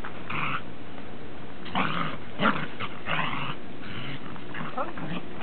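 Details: Dog from a group of Pembroke Welsh Corgi, Cardigan Welsh Corgi and Cairn Terrier, recorded 30 December 2006: short harsh growls and yelps in bursts roughly every second, with human voices talking alongside.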